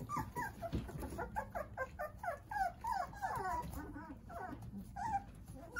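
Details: Jindo puppies, nine of them, playing under the care of their mother Sarang-i, indoors; a dense run of short high whines and squeaks, overlapping and descending, several per second, with soft shuffling beneath.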